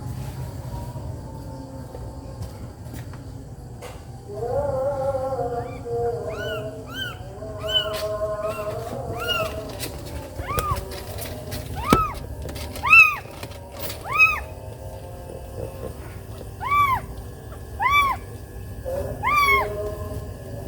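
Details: Domestic cat: a mother angry after her kitten was bitten. Short arched mews repeat in a quickening run, preceded by a lower wavering drawn-out cry. A low background rumble runs throughout.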